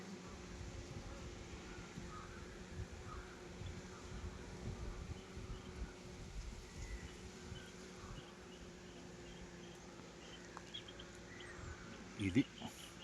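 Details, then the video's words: Honey bees hum while frames of a hive are inspected on a Nellore honey farm. A low, continuous drone holds a steady pitch with a fainter higher overtone, and a few soft knocks and handling noises come near the end. "honey bee faming"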